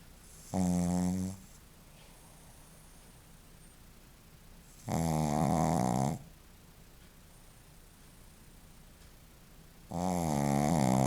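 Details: Joaquim, a Shih Tzu, snoring: three loud rasping snores with rich harmonics, each about a second long and spaced roughly four to five seconds apart, separated by quiet breathing pauses indoors.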